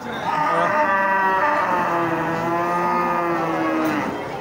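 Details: Cattle giving a long, drawn-out moo lasting nearly four seconds, a steady harmonic call that slowly dips in pitch, with crowd murmur behind.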